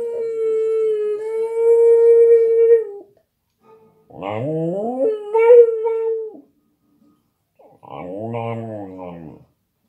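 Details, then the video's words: An Australian Terrier, set off by hearing dogs on TV, gives a long, steady, mid-pitched howl, then wavering, rising howls. "Australian terrier howling when watching dogs on tv"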